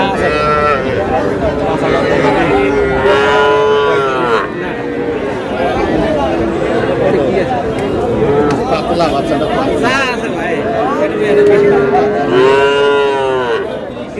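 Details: Calves, young bulls and heifers purchased by a farmer in Noakhali on 21 July; several arched, harmonic moos spaced through the recording, the loudest near two to four and twelve to thirteen seconds, over constant conversation.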